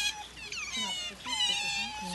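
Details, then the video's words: Otters recorded on Saturday 24 February, calling in sharp, high squeaks that swoop downward into long steady whines, overlapping cries close together. "cute otters making noises"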